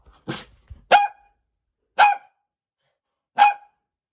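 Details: Poodle that bites and will not let go, giving a short broken growl-like bark then three sharp, clear barks spaced about one to one and a half seconds apart in a quiet room.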